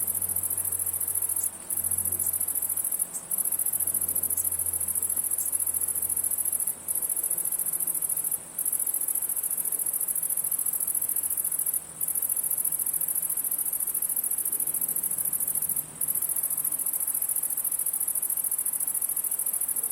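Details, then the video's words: Crickets chirping on a summer night, recorded for a free sound pack: a dense, steady high-pitched shrill that runs almost without pause, broken only by a few very brief gaps, with a faint low hum underneath. "Cricket Sounds – Sound Pack"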